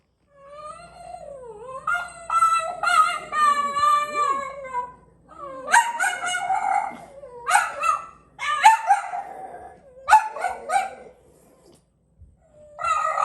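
French Bulldogs howling together, their voices wavering up and down in long, strained notes. The howls break into short yelps and whines, with brief pauses before starting again.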